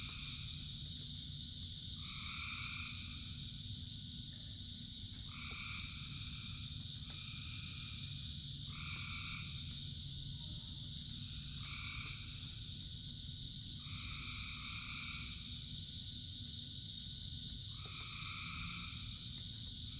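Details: Rain-soaked frog chorus, one of thousands singing: short two-toned nasal calls repeat every one to three seconds above a constant shrill background trill, all over steady rain noise.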